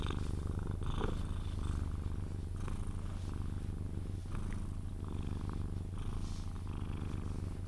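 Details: Pet Sphynx cat purring while cuddled until it dozes off; deep continuous vibrating hum pulsing gently with each breath, a few soft rustles and a light tap near the start.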